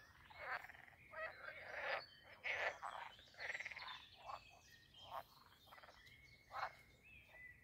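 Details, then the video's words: Pond frogs in the garden of Castle Aerwinkel near Posterholt, Netherlands, croaking busily: many rattling, pulsed croaks in quick irregular succession, overlapping, with bird chirps in the background. "Talking Frogs and other jungle sounds at the Pond"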